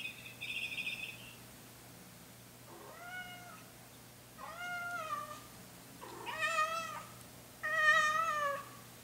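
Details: A female Chinchilla silver Persian cat, filmed by hidden camera alone in a quiet room, carries her toy bird from the toy box and 'sings' for attention: a brief high chirp, then four long, rising-and-falling meows, each louder.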